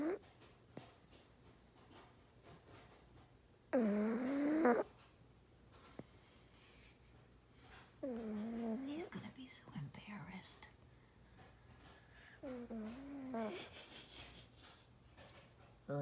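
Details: A sleeping pug snores in slow, throaty bursts that waver up and down, a few seconds apart.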